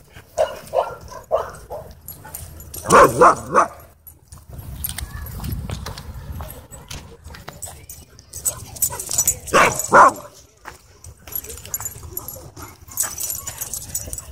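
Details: Dog park scuffle, an aggressive husky pinning another dog: scattered short yelps, then a loud cluster of shrill harmonic yelps, a quieter rumbling stretch with rustling, and a second sharp outburst of cries later on.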